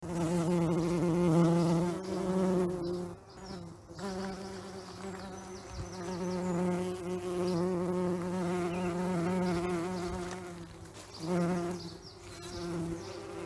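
Bees buzz in a steady, low droning hum that swells and fades as they move close and away.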